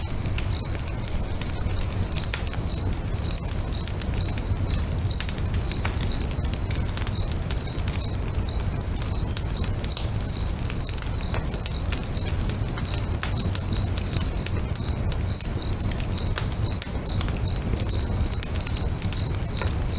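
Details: Crickets singing beside a lake at sunset near a crackling bonfire: a steady high, pulsed chirp repeated about two to three times a second throughout, over constant fire crackle and a low rumble.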